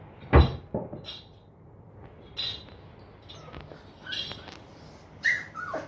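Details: Long-coat German Shepherd puppies at a kennel in Patna, giving short high whimpers and yips between loud knocks and clatter, with quiet stretches in between.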